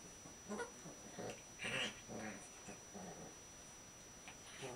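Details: Two male Shiba Inu puppies, 6 weeks old, trade short yips and rough little growls as they play together.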